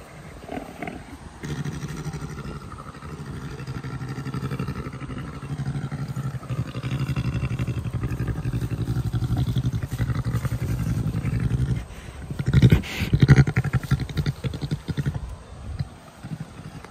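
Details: Jenny, an adult Syrian brown bear, purrs while suckling on her keeper's hand during brushing, a cub habit adults show when completely happy and comfortable. A low, pulsing continuous rumble runs from about 1.5 to 12 seconds, then handling noises.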